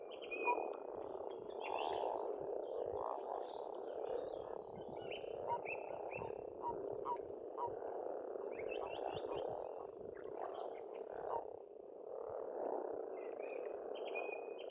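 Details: Frogs calling in spring by a pond in Estonia, a dense continuous croaking chorus forming a steady rolling wall of sound, with birds singing short whistled and chirping phrases above it throughout.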